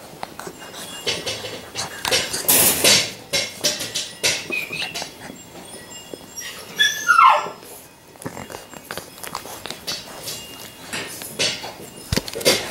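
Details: Labrador Retriever puppies at five weeks old: scattered short yelps and squeaks, then a high whine sliding steeply downward near the middle, amid rustling, shuffling and knocking noises.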